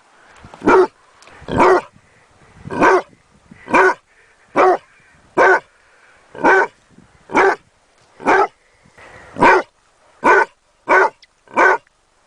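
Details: Basset Hound puppy giving a long run of about fourteen clipped barks at an uneven pace, sometimes bunched in quick pairs, in an otherwise quiet setting.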